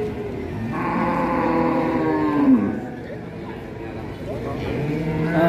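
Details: A distressed young calf being freed from its rope lets out a long, wavering moo early on, with music and chatter around it.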